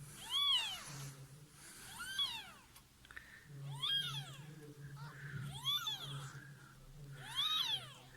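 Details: Cat giving birth to kittens after sneaking into a neighbour's home; five rising-and-falling meows repeat steadily about every one and a half seconds, with a low indoor hum and people speaking softly nearby.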